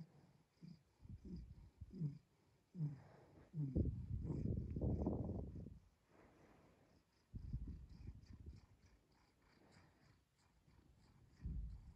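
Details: Pet cat purring, rough low rumble in rapid pulsing bursts, louder swelling stretches alternating with quieter pauses as the cat breathes in and out.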